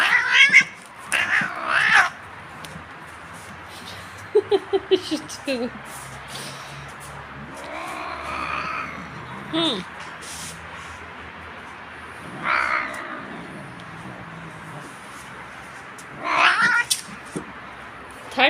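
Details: Domestic cat being combed indoors, giving several short harmonic meows near the start and two more later, mixed with a woman's speech, brush strokes and clapping.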